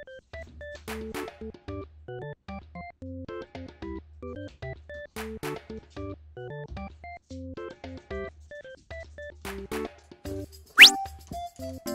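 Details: Bouncy piano and keyboard music with light drums plays throughout, ending with a quick rising whistle-like sweep, and no animal voice.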